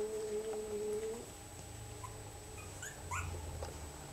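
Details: Puppies from Rosie's litter indoors, one giving a thin, steady whimpering whine for about a second, followed by fainter brief squeaks and soft rustling in a small room.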